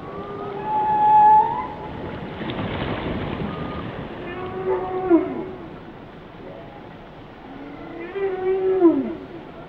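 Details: Whale song underwater: long tonal moans with harmonics, a steady high note near the start, then falling swooping calls with stacked overtones around seconds five and nine, over a constant hiss.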